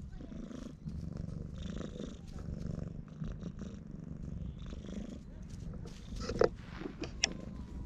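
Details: Loud purring from an affectionate stray cat rubbing against a person's legs and refusing to leave, filmed outdoors on a GoPro HERO8: a steady, low, rough rumble that carries throughout, with a few brief sharp knocks and rustles near the end.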